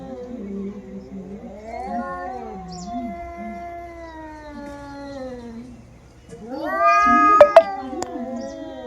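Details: Fight between two female domestic cats, heard as a sustained low moaning yowl that wavers and slowly falls, followed by a sudden louder rising scream with a couple of sharp clicks or knocks.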